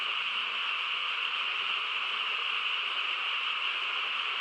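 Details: A quiet rural night filled by a frog chorus, many callers blended into one seamless buzzing wash, bright upper tone and fainter low murmur, steady without breaks.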